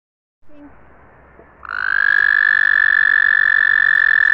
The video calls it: American toad calling sounds